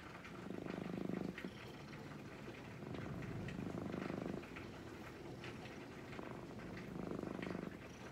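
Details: Brown-and-white cat purring as it is gently stroked, a low continuous rumble rising in three louder bursts of about a second each, with faint rubbing and rustling sounds throughout.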